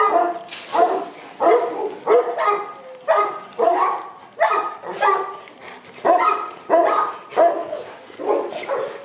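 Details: Boerboels from Aubin Boerboels kennel, Accra, give a run of loud, regular barks about every two-thirds of a second, each bark harsh with a clear tonal core.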